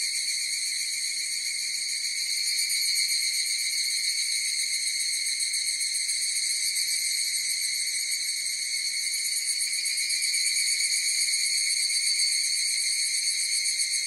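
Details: A chorus of higurashi cicadas: continuous piercing, metallic whine, evenly pulsed and unbroken, swelling slightly in loudness around the middle; nothing else audible.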